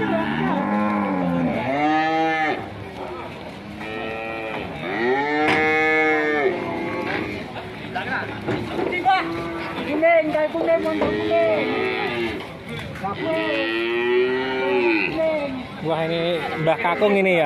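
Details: A series of angry moos from agitated cattle that are scaring their owners: deep, arching bellows repeat every couple of seconds, some rising into higher strained cries, over faint background chatter.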